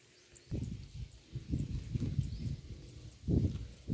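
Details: Cow grazing on roadside grass, recorded up close: rhythmic, low, crunchy chewing and tearing bursts repeating roughly every half second, with brief pauses between bites; quiet outdoor background.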